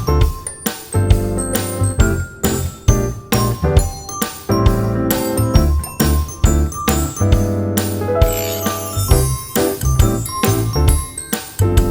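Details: Bright chiming music with steady beats and jingling tones fills the whole stretch, with no animal voice heard.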